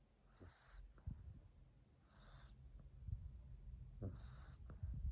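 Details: Mila, a French Bulldog, found sleeping under a chair, recorded 2 March 2021, snoring loudly; three short breathy wheezing snores about every two seconds over soft low rumbling.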